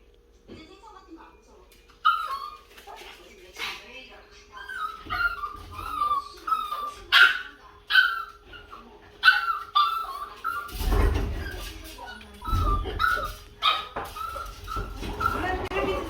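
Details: Yorkshire terrier left alone guarding the house greets family members as they return home, giving a long run of high, wavering whines and whimpers, with thumps, footsteps and human voices toward the end.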